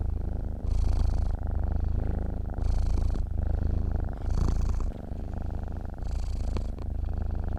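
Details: Low, even purring from a sleeping cat, rising in strength on each breath roughly every one and a half seconds and briefly softening between; no other sounds.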